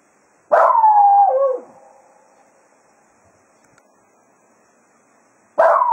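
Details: Cato, the Jack Russell Terrier, bids the hounds farewell at Quail Roost after foxhunting. A wavering howl lasts about a second before dropping in pitch. After a long quiet gap, a faint steady hum continues until the next howl begins.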